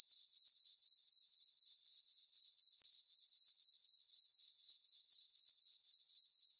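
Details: High, ringing cricket chirps from a farm meadow on a summer night under the full moon, pulsing regularly near four per second with a brief dip midway, no other sounds.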